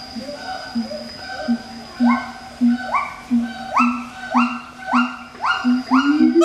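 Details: Captive pair of siamang gibbons duetting at Schmutzer Primate Center, Jakarta, Indonesia, on 20 April 2012 at 09:21 AM; low booming notes repeat with quickening rhythm while sharply rising whooping calls climb higher and come faster toward the end.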